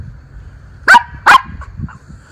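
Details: Miniature Schnauzer brothers outdoors in their leaf-strewn yard in Aroostook County, Maine, October 13, 2024: two sharp, loud barks about half a second apart, then quiet with faint low rumble.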